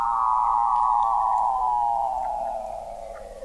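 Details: Weddell seal beneath the sea ice of McMurdo Sound, Antarctica, recorded in November 2017 at the McMurdo Oceanographic Observatory, 21 m under the ice: one long, loud, harmonic tone sliding slowly downward for over three seconds, fading at the end.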